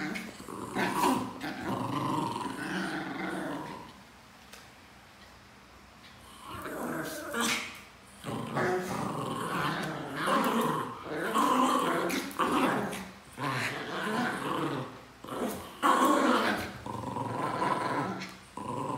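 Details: Pet Pinscher dogs indoors in a small room, rough growling and snarling in dense bursts lasting one to three seconds, separated by short quiet gaps, with a few sharper yaps mixed in.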